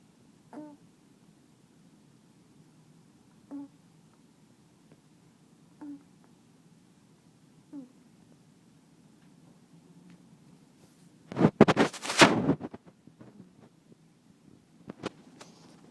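A kitten makes brief, nasal honks while asleep, each a short snort spaced two to three seconds apart. Later a loud burst of rustling or handling noise covers everything for about a second.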